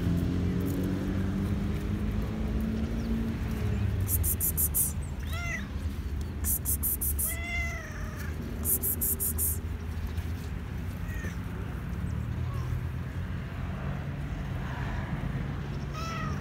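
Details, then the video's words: Hungry black and white male cat meows for food: several bent, rising-then-falling meows spaced a second or two apart, with softer meows later, bursts of clicking and a low background hum. "Black and white cat meowing"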